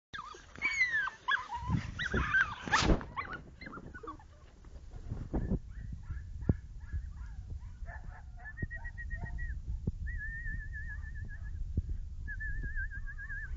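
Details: Two-month-old springer spaniel puppies playing together with a piece of game: sharp yelps, whines and scuffling noises in the first few seconds, then quieter handling sounds and a thin wavering high tone near the end.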